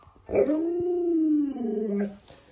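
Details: An Alaskan Malamute playing hide and seek with its owner gives one drawn-out, slightly wavering howling moan lasting over a second, then drops into a lower, shorter tail note.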